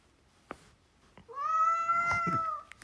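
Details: Hungry domestic cat, said to be starving and acting dramatically, gives one long drawn-out meow. The meow rises briefly, then holds a steady, strong, harmonic tone for over a second. A few soft knocks are heard before it.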